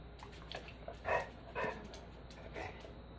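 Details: Beagle throwing a tantrum for a second dinner, indoors: three short, harsh barks about half a second apart, then a softer one, with a person speaking Spanish in the background.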